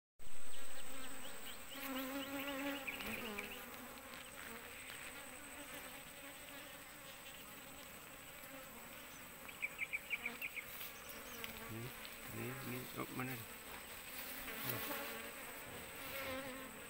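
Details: Asian honey bees from a swarm clinging to an oil palm frond, heard while their queen is searched for: a steady low droning hum, with scattered knocks and handling noises.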